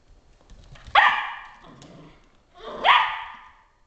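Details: Gunner, a Border Collie, confronting Swiffer the dust mop indoors; two loud, rising barks about two seconds apart, each sharp at onset and trailing off.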